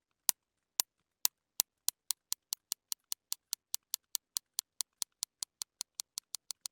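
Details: Real sperm whale recording of a buzz: sharp, dry echolocation clicks start about two per second and quicken until they run together like a whistle, signalling a prey-capture attempt on squid such as Histioteuthis.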